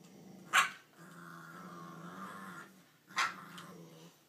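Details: Puppy Fred, nine weeks old, tussling indoors over a bone belonging to another dog, Ruby: two sharp high yips three seconds apart, with a long steady growl sustained between them.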